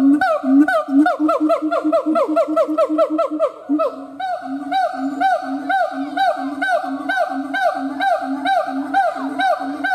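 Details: Siamang gibbons howling: a quickening run of sharp ascending whoops, a short pause, then a regular series of arched barks over booming low notes.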